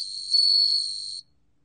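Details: Song of a bell cricket, recorded in 2020 for the National Institute of Biological Resources: a single clear, high, whistle-like ringing note held for just over a second, louder in the middle, then cut off into silence.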